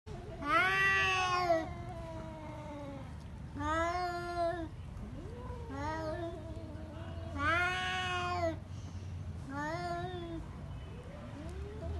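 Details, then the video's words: Pet domestic cats fighting, with long harmonic-rich yowls swelling and falling, about five drawn-out wails with short rising moans between them over a low background rumble. "Cat fight with real voice"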